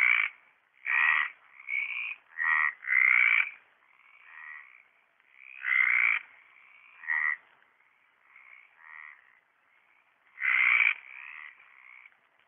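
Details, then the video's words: Mediterranean tree frogs singing in a pond at Orio in late March 2013: dense run of loud grating croaks early, then spaced croaks mixed with fainter overlapping calls from several frogs. "Hyla Meridionalis croando"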